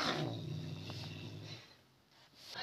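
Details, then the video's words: A low, steady growl from an aggressive pet cat in a sweater, held for about a second and a half before fading, with a voice at the start. "Agresif ve Sevimli Kedi"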